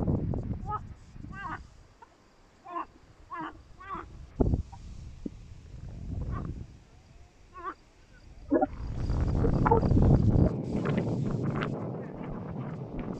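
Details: Frog chorus at Tosunlu, Ardanuç, in Türkiye's Artvin province: a run of brief, warbling croaks repeated in quick succession for several seconds, then drowned by a loud low rushing noise, with voices mixed in.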